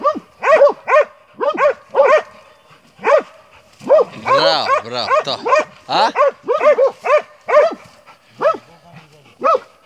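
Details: Montenegrin Mountain Hounds from kennel 'Sutorman' out hunting, voicing spaced baying barks that turn into a dense overlapping burst of several voices midway, then return to a regular bark series.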